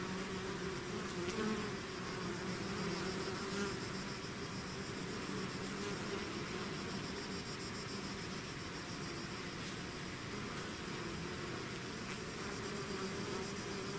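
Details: Honeybee swarm pouring out of its hive, a dense continuous buzzing drone with a low hum band and overlapping wingbeat tones, individual bees whining louder as they fly close past.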